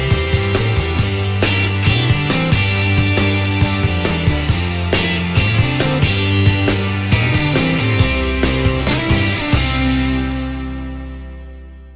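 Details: Rock music with driving guitar and drums and a steady beat, fading out over the last two seconds, with no animal sounds.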